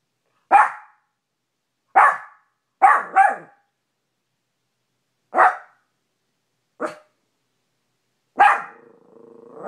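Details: A little Maltipoo called Cash yapping at himself in the bedroom mirror; single and paired sharp barks spaced irregularly, the last one trailing into a faint steady hum.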